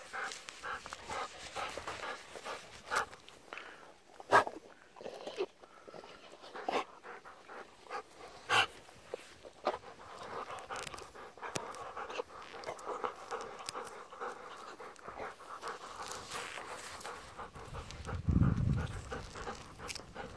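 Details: Evening in a rice paddy, where an elder Golden Retriever sister, eleven, and her ten-year-old brother lounge in the cooling air. Soft breathy pants come in runs between louder rustling and footstep-like thumps, with a low rumble near the end.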